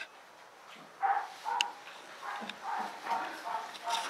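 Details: Alaskan Malamute puppies from litter G giving short, soft, tonal whines and yips, each lasting a fraction of a second and coming irregularly after a quiet opening, with a brief clatter midway.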